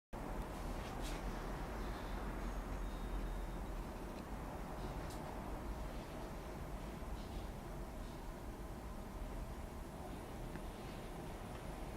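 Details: Steady low rumble of passing vehicles and outdoor urban noise, with faint clicks and no animal voice.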